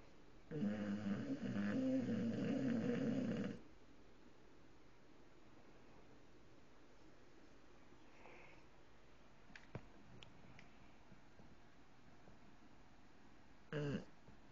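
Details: An English bulldog snoring with his eyes open lets out one long, rattling snore, then the room falls quiet apart from faint clicks.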